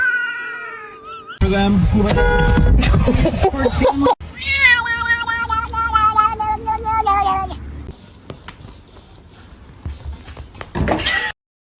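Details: Kitten meowing: a long drawn-out meow with stacked harmonics, then a run of repeated, wavering meows over several seconds, with background music and voices.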